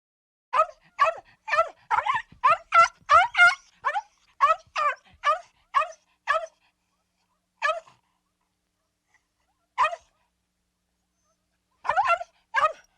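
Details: Dog giving a rapid run of short, sharp barks or yips, about a dozen in quick succession, then a few scattered single barks and a final pair, on a clean silent background.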